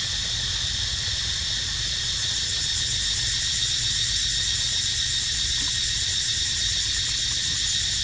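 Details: High, hissing cicada drone, constant throughout, growing more strongly pulsed and rhythmic after the first two seconds, recorded where a baby monkey named Dito lives.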